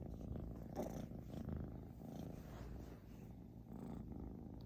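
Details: Loud snoring from Xiaoguai, a British Shorthair cat, heard as a continuous low, rough rumble that swells and eases with each breath.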